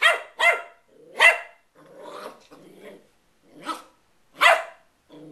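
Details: West Highland White Terrier puppy playing, a few sharp yaps mixed with soft growly grumbles and a low rumbling between barks.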